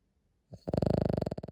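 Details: Cavalier King Charles Spaniel sleeping indoors: after a short breath, a loud, low vibrating snore sets in, a rapid rattle of pulses that lasts about a second.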